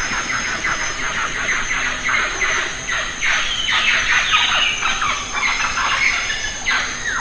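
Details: Lion-tailed macaques in the Western Ghats, feeding on jackfruit, give overlapping shrill squeals that slide downward, several at once and almost without pause, over a steady high insect hum.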